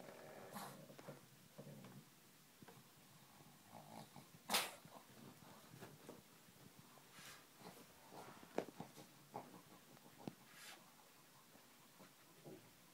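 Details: Rudolf, a Czech Brussels Griffon, romps in a grandfather's freshly washed bed indoors: rough, low growls in short bursts mixed with snuffling and rustling bedding, plus one sharp thump midway.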